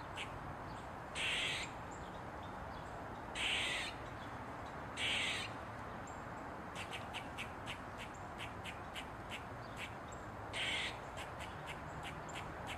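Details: Four rough, buzzy barks roughly two seconds apart come from an Eastern gray squirrel dancing on a mushroom with its tail wagging, with a rapid train of short squeaks between the later barks over faint low rumble.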